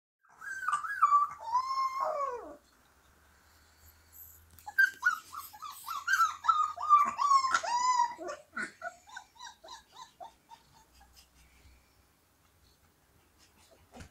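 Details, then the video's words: Siberian Husky puppies singing together: wavering, high whining howls slide downward with harmonics, pausing briefly before a longer run of quavering notes that breaks into shorter falling yelps and fades out. "Хасята поют."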